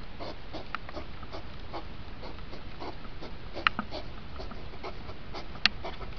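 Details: Hedgehog rut recording played speeded up: irregular breathy snorts and huffs with two sharp clicks standing out, against a steady low background hiss.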